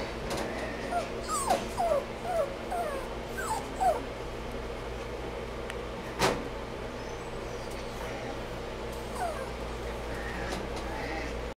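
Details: Toy Poodle whimpering: thin, high, downward-sliding whines in quick short bursts, about eight within the first four seconds, a sharp click near six seconds, then one more whine near nine seconds, over a steady low hum.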